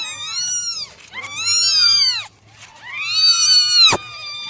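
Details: Nine kittens give high, harmonic meows that rise then fall, several overlapping in quick succession, during a morning drying routine.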